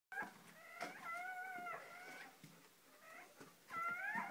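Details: Dogs at a birth: Shoobie, a mother dog, with her first three newborn puppies just delivered; high, drawn-out whining cries with steady harmonics, some held level and some rising, broken by short gaps and soft clicks.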